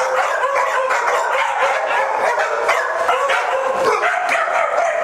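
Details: Multiple dogs getting the zoomies together at a day care in Las Vegas, Nevada, October 5, 2009: continuous, crowded barking and yipping from many dogs at once, with no gaps.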